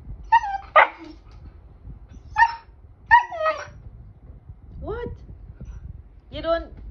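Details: Siberian husky that wants to play, vocalising in a series of drawn-out, wavering howl-like yowls with bent, sliding pitch, five or six separate calls spaced about a second apart; a woman talks to it between calls.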